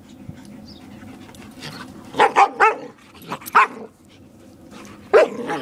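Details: Playful Borador guarding its owner from a German Shepherd companion: a quick triple burst of loud barks, then a single bark and a last one after a pause, over low background noise.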